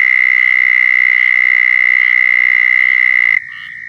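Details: Mating call of a southern toad in Florida: a long, even, high-pitched buzzing trill that cuts off abruptly near the end, leaving a softer distant trill from another toad.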